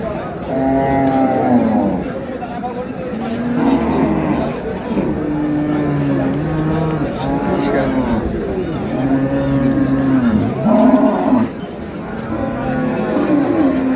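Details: Cattle lowing at Ambari market where improved-breed dairy cows and calves are sold, 15 April 2026; many overlapping deep moos follow one another throughout, some long and level, with traders talking nearby.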